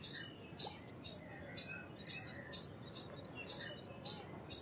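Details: Indian palm squirrel giving sharp, high chips, about two per second in a steady series, each a short bright burst, with faint softer chirps between them over a low hiss.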